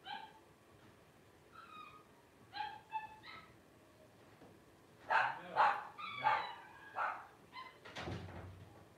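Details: Five 12-day-old Blenheim Cavalier King Charles Spaniel puppies, born to Paris and Spike at New Year 2023; high, tonal squeaks and whines, short and irregular, growing louder and denser after five seconds, with a dull thump near the end.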